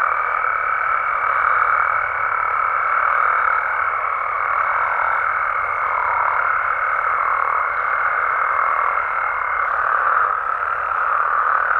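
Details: Mexican frogs and toads in their natural environment at night, a thick continuous croaking chorus that swells and dips gently, while a pure high steady tone holds for about ten seconds above it, then stops.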